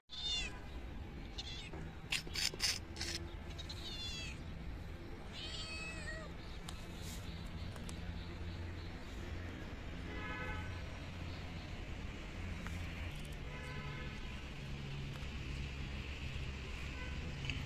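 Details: Stray kittens fed small raw fish caught from a pond, meowing in short bursts early on: a few high, curving harmonic meows near the start and mid-clip, then fainter ones later, over steady low humming background noise.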